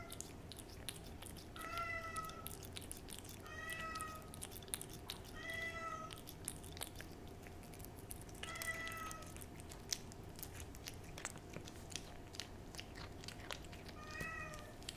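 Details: Domestic cat eating a lickable churu treat, close-up ASMR-style recording indoors: steady wet licking and chewing clicks throughout, broken by short harmonic mewing squeaks roughly every two seconds, with a soft steady hum in the background.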